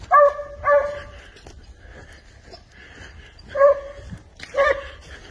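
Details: Spanish hound tracking wild boar, giving a few loud, tonal bays in two pairs separated by a quieter stretch with faint distant barking.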